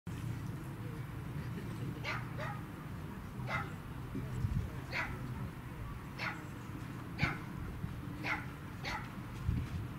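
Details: Pembroke Welsh Corgi at an outdoor dog run on 10 March 2019, being petted by people including small children: short, sharp barks about every one to one and a half seconds, over a steady low rumble of background noise.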